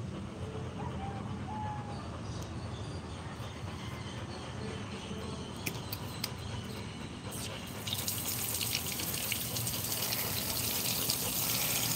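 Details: Steady running water like a tap filling a sink, growing louder and hissier after eight seconds, with faint speech beneath; no animal voice evident.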